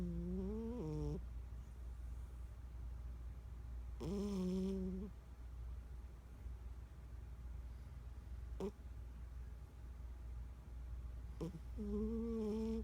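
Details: A 14-year-old domestic cat asleep and snoring: low, droning tonal snores with stacked overtones, each lasting about a second and rising slightly, repeating roughly every three to four seconds over a steady low hum.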